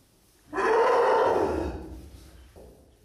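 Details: Newborn Asian elephant calf at Madrid Zoo giving one loud, harsh, rasping call of about one and a half seconds with rich harmonics. It starts abruptly, then fades, and a fainter short sound follows near the end.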